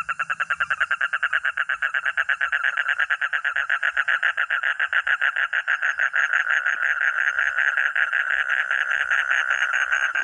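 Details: Frog or toad (katak or kodok) calling with a long, steady series of harsh, rattling croaks repeated rapidly, several per second, growing slightly louder and faster over ten seconds.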